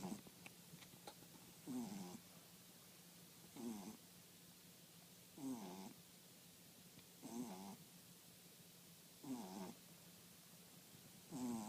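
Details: French Bulldog snoring: six regular, buzzy rasping breaths roughly every two seconds, each a short harmonic snort over a faint steady hum.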